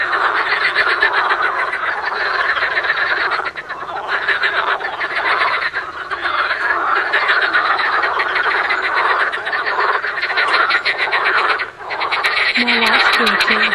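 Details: Many frogs croaking together in a fast, pulsing chorus of rough rattles, about four per second, with brief dips in volume around the fourth, sixth and twelfth seconds.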